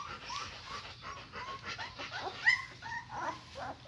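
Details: German Shepherd puppies being raised alongside their mother Max: short high squeaky whimpers and yelps, rising and falling, scattered through a few seconds, with quiet speech in the background.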